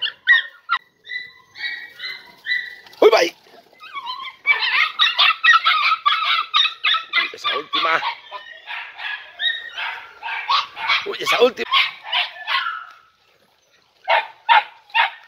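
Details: Four Podenco Andaluz puppies, three and a half months old, loose in a riding ring for their first time, keep up a long chorus of fast, high, repeated yelps and barks, briefly pausing near the end before resuming.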